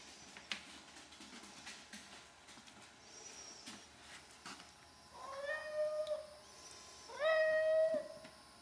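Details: A 12-year-old male Hemingway cat begging for wet food at a gate while standing on his hind legs gives two drawn-out, slightly rising meows late on, after a few soft knocks and shuffles.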